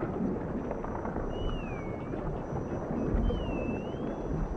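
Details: Dolphins in the ocean: two clear, wavering whistles, each dipping then rising over about a second, over a steady low underwater rumble.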